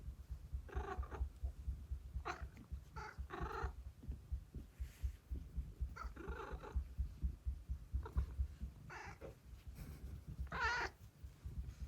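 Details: Pet cat growling contentedly during a massage. A continuous low rumbling purr runs throughout, broken by several brief throaty grunts and moans at irregular intervals, some in quick pairs.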